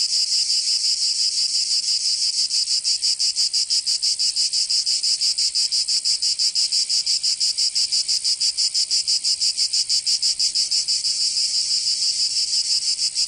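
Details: Provençal cicadas in southern France during summer, a relentless shrill buzzing chorus pulsing evenly around three beats per second for the whole length, no birds, wind or voices.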